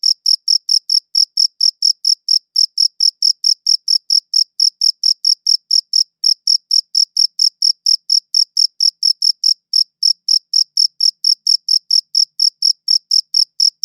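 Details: Chirping crickets recorded with a good audio recorder, giving a continuous run of sharp, shrill pulses at roughly four to five per second, with slight unevenness in spacing and a clean, quiet background.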